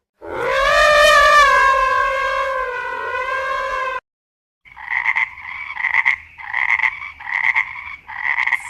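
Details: Frog croaking in a rapid pulsed series, each burst buzzy and mid-pitched, repeating several times a second over the last four seconds; before it comes a long, loud, harmonic trumpet-like blare with a slight wobble.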